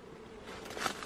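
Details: Wild honey bees in Cambodia during a honey hunt, humming in a continuous mid-pitched drone, joined near the end by a brief burst of rustling crackle.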